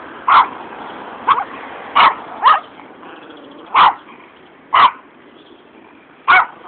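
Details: One of two small Yorkshire Terriers barking at a passer-by along a road on 28 March 2007 gives sharp, high yappy barks in an uneven series, against a steady background hiss.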